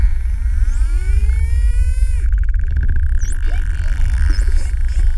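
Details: Curious spotted dolphins underwater off Calheta, Madeira Island, investigating a GoPro: long rising whistles rich in overtones, then a rapid buzzing click train as they scan the camera, followed by short sweeping whistles over a low rumble.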